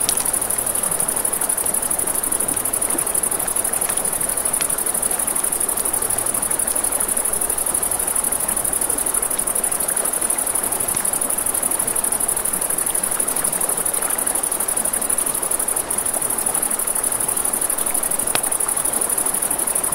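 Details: Crickets chirp through the night at a riverside campfire, a constant high-pitched rapid trill that never pauses, layered over crackling wood, occasional sharp snaps and the steady wash of the river.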